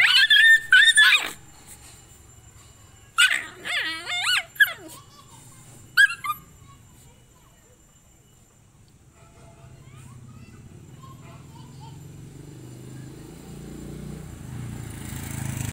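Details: Indian desi puppies fighting let out a few loud, piercing yelps and squeals in the first seconds, then the scene falls to a quiet background murmur with faint noise.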